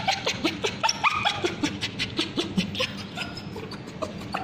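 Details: Male Bichon Frise with scabies crying out as ointment is put on his tail: short, tonal, yelping squeals in rapid uneven bursts, some rising in pitch, over faint background noise.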